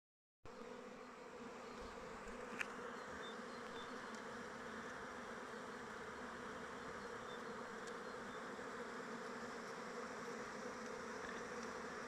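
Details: A steady, droning hum of many honey bees flying around their hive in open weather.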